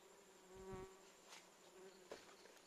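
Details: A Western honey bee (Apis mellifera) gives a steady, low wing buzz that drones on, rich in overtones, with a few soft knocks.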